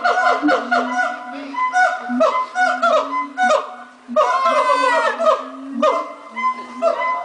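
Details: A group of monkeys at Twycross Zoo makes a morning chorus of loud, hooting, overlapping cries that rise and fall.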